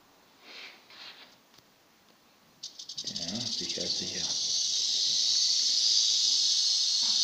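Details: Western diamondback rattlesnake (Crotalus atrox) rattling: soft rustles, then from the middle a sudden, steady, high dry buzz that keeps up to the end, with a man speaking German over its start.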